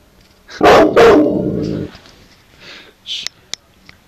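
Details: Guarding puppy lets out two sharp, loud barks in quick succession that trail into a rough growling sound, followed by faint short clicks.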